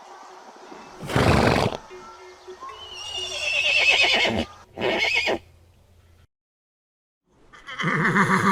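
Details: Horse among a galloping herd, giving short loud bursts and a falling whinny, then a pause of silence before another vibrating neigh begins.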